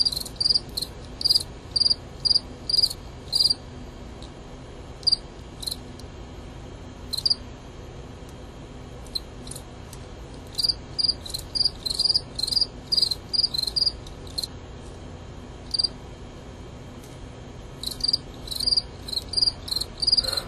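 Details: Male Gryllus pennsylvanicus crickets fighting each other: clustered high pulsed chirps in fast irregular runs, bursts of several per second separated by short quiet gaps, continuing for about twenty seconds.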